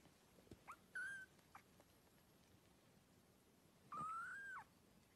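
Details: Newborn kittens suckling and playing; two thin, high squeaky mews, a short one followed three seconds later by a longer, slightly rising then falling cry, with soft faint rustling between.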